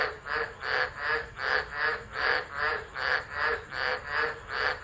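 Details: Tropical frogs calling in chorus at Driver, Northern Territory, Australia, during a tropical low storm on 13 December 2013, recorded on a phone left on the ground; loud pulsing croaks swell and fade in a steady rhythm, many voices overlapping.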